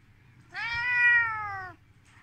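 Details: Volt, a red Siberian cat, meowing angrily after being shown a hand: one long, loud, drawn-out meow of about a second, steady in pitch and falling slightly at the end, indoors against a quiet low hum.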